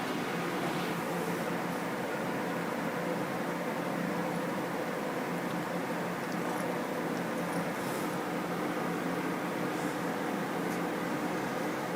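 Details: Constant indoor hum like a fan or air conditioner, with faint brief rustles and no animal voice.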